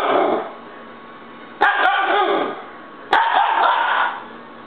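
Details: Young Siberian husky throwing a tantrum indoors: loud, drawn-out wavering yowls with rich harmonics, each lasting over a second, starting abruptly about every one and a half seconds and trailing off between bursts.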